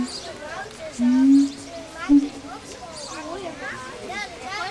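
Siamangs sing a pair duet of loud booming notes and rapid rising and falling hoots.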